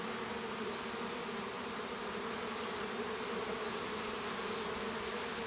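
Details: Honey bee colony droning in the hive at the moment a baby bee hatches; an even, unbroken buzz with prominent low humming bands.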